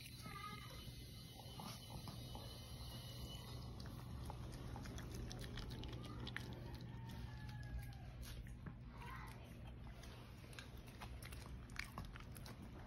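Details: Sensei, a Shih Tzu dog, at meal time indoors; irregular soft crunching and biting clicks scattered through the recording over a low steady hum, with faint talking in the background.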